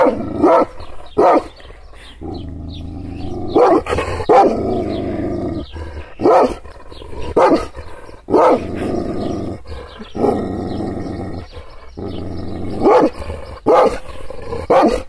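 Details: An angry Kangal shepherd dog, provoked by gestures, alternates sharp, heavy barks with long stretches of steady, rumbling growl lasting a second or two.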